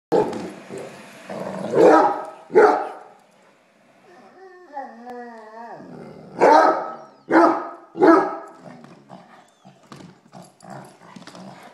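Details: A Basset Hound at play gives deep, loud barks in short bursts, with a wavering whine between them.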